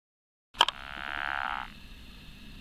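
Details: Pickerel frog (Lithobates palustris) calling from a lake shore in March 2012: a single low, snoring croak about a second long after a couple of sharp clicks, with spring peepers in the background.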